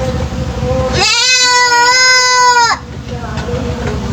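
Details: A three-month-old goat kid known for its strange, unusual voice gives one long, loud, nasal bleat of nearly two seconds that holds a steady pitch, with a constant low background hum before and after.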